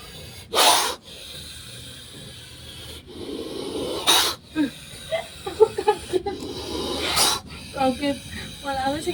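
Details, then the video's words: An angry snake, at first mistaken for someone snoring, gives three sharp, breathy hisses roughly three seconds apart, each a short harsh rush of air, while a person talks excitedly between and after them. "dikira ada yg ngorok ternyata suara ular ngamuk"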